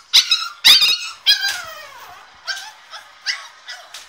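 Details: Crated Staffordshire Bull Terrier puppy Diablo, wanting to be let out, gives three loud piercing screams, the last sliding downward into a whine, followed by softer, shorter squealing yelps.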